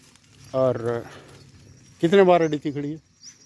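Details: Markhor-type DDP goat of the Punjab plains, a big milk-producing dairy breed, gives two harmonic bleats: a short wavering pair, then after a pause a longer quavering bleat broken into pulses, with faint outdoor background.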